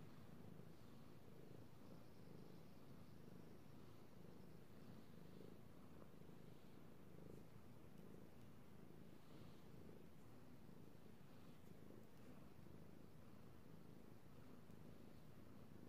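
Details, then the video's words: Pet cat purring as it is stroked, recorded 3/16/18: a deep, unbroken rumble with gently swelling phases, plus light rustling and faint brushing noises from the petting hand. "Petting Io the Kitty Cat / ASMR Cat Purring"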